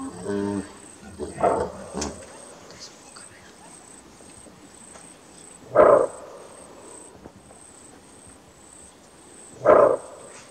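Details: Kudu alarm barking in Kruger National Park, the greater kudu being one of the park's largest antelope. Some fainter, layered sounds come first, then two sharp, gruff barks about four seconds apart over a soft hiss.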